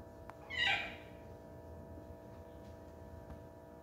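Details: Sarina, a pet cat, gives a single short meow, bright and slightly falling, over a steady electrical hum in a quiet room.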